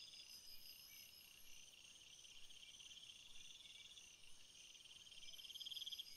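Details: Massed cricket song from a flowery field, overlapping high rapid pulses and trills at different pitches, a nearer insect growing louder with fast chirps toward the end.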